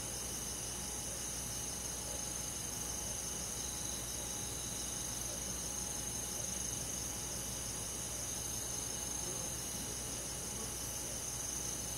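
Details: Crickets with other forest insects on a quiet midsummer night in rural woodland, trilling continuously in a dense high-pitched layer. Rapid pulses at roughly three per second ripple through the chorus, over a soft, steady low background hum.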